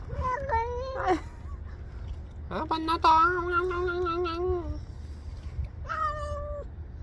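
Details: Stray cat meowing while it eats, on a cold day: several short mews, then a long wavering meow near three seconds and another around six seconds, with people murmuring softly and low background rumble.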